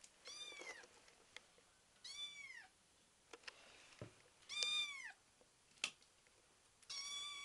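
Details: Five-week-old kitten Betty, wanting to play, meows repeatedly indoors: four high, arched cries roughly every two seconds, with faint clicks between them.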